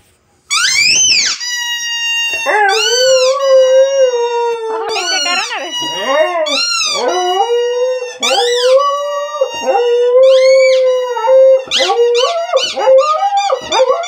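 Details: A pet dog, reacting to a funny sound played to it, howls and whines in long, wavering tones that rise and fall repeatedly.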